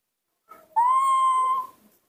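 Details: A newborn baby monkey calling in a sweet little voice, happy to see its milk: one drawn-out, steady, whistle-like cry lasting under a second, after a soft murmur, with quiet human talk around it.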